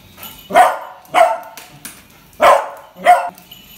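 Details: Four loud, short, high-pitched barks from Kuttus, a young beagle scared by a toy puppy, spaced roughly half a second to a second apart, indoors.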